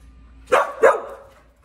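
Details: Evie, an Australian Cattle Dog up for adoption, gives two sharp, loud barks about a third of a second apart, then quiet.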